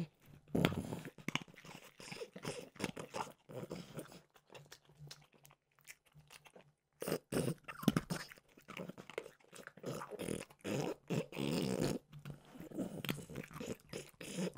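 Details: Crunching and biting from French bulldog Mimosa eating peanut butter flavored Trader Joe's dog treats, a long run of irregular crisp chomps with short gaps, recorded close up in a small room.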